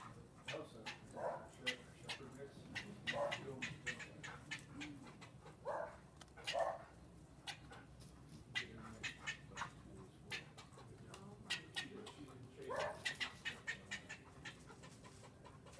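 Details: Standard poodle taunted by a squirrel, giving about five short, sharp barks spread irregularly through the recording, with clicks and voices in the background between barks.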